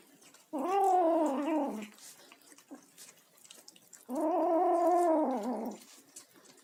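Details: A kitten vocalising while eating indoors: two drawn-out, wavering moaning calls, each about a second and a half long, separated by a quiet pause with faint clicks of chewing.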